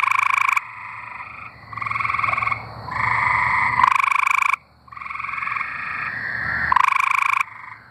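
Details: Several tree frogs singing in Arkansas, trading harsh pulsed trills a second or two long that overlap and alternate, with short gaps between bursts.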